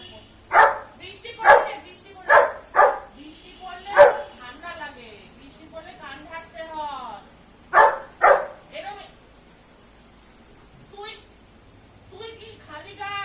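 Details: Labrador barking: loud, sharp, broadband barks come in quick bursts, about five in the first four seconds and two more near eight seconds, with human speech and quieter voiced sounds between them.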